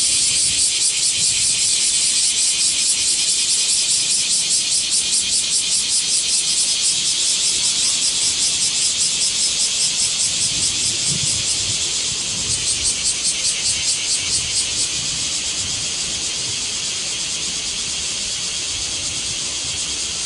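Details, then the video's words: Cicadas in Japan, a swarm buzzing loudly: a dense, high, hissing drone pulsing about two to three times per second, steady and unbroken, dropping slightly in loudness after twelve seconds. "cicada sound Japan,cicada buzzing sound,cicada noise,cicada swarm,cicada scream"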